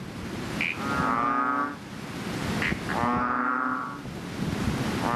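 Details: Chubby frog, known as the bull or bubble frog, calling in a fishpond just after rain: two long, nasal, droning calls with short sharp clicks between them and some background murmur.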